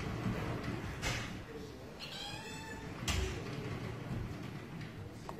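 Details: A Russian Blue cat lets out a single clear, tonal meow of about a second, framed by two sharp knocks like a door or cupboard, with low rumbling room noise throughout.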